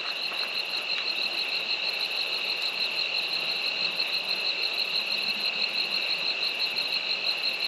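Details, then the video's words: Crickets chirp steadily in a dense, high, pulsing evening chorus at sunset with a bright rising moon, at a campsite at Natural Bridges National Monument, Southern Utah, as temperatures drop. "If you're really quiet, you can hear the crickets."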